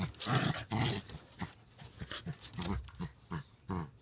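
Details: Two dogs wrestling in play on a deck give repeated low, rumbling growls in irregular bursts about every half second, with scuffling between them.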